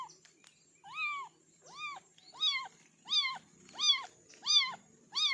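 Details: Kitten giving a run of seven insistent meows, repeated about every 0.7 seconds and growing louder, each a short arched wail rich in overtones, over a quiet hum.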